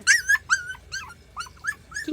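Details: Three rural mixed-breed puppies, about 40 days old, whine while trying to climb stairs at a countryside home; high, rising-then-falling whimpers come in quick bursts, about six in two seconds.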